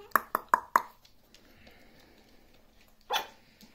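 A Maltese gives four quick, sharp, high-pitched yaps in a row.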